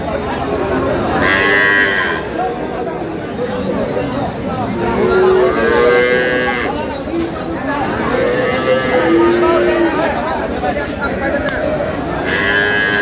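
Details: Cows at Aftabganj cattle market, Dinajpur, May 19, 2026: several drawn-out moos spaced a few seconds apart, some with a rising bend, heard above continuous crowd murmur and people talking.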